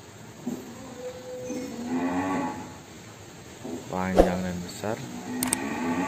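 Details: Cattle at Kandang Lembu Benggolo, a breeding pen where a calf was born. Several short, tonal lowing calls rise and fall, interrupted by sharp knocks and clatter against a steady background hum.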